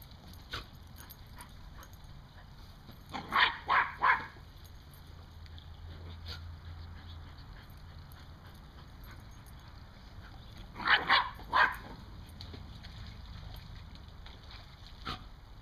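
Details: Dog herding squirrels, giving two bursts of three quick barks each, several seconds apart, over a constant low background hum.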